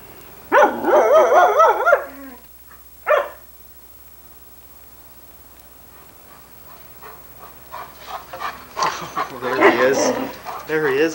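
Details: Chatty female Irish Setter Sunny, taped in 1987 while asked where her father Ed is, gives a long wavering, yodel-like moan, a brief second note, then, after a quiet gap, denser warbling vocal sounds mixed with human talk.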